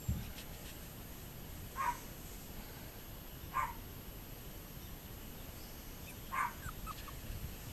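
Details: Toy poodles recorded on 30 June 2024; three short, faint, high yelps or whimpers spaced about two seconds apart, each a brief tonal note with a thin upper echo, over a steady low background hum.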